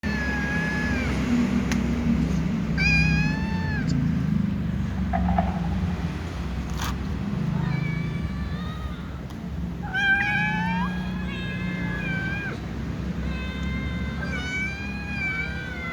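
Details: Several little cats meowing sleepily before eating together with other cats; harmonic, rising-then-falling meows repeated in bursts, some overlapping, over a steady low rumbling background.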